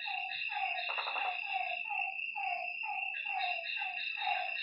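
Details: Lakeside frogs at night producing a rapid string of short, pulsed nasal calls, several voices overlapping, set against an unbroken high-pitched insect hum.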